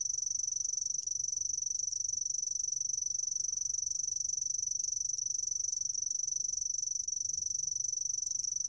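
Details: A grass lark cricket gives a continuous, very high, thin ringing trill that holds steady without a break, over a faint low background rumble.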